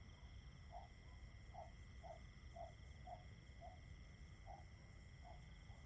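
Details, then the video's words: Crickets in a nature-sound recording made as a tinnitus blocker: a steady, unbroken high-pitched trill holding one tone with fainter overtones, soft lower pulsed notes repeating about every half second, and a low rumbling background throughout. "Just Crickets 10 Hours Nature Sounds"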